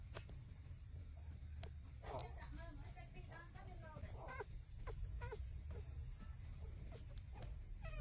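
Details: Puppies six days old nursing on their mother, uttering many short, high, meow-like squeals and whimpers, some rising and falling, scattered through the clip over steady low rumbling and rustling.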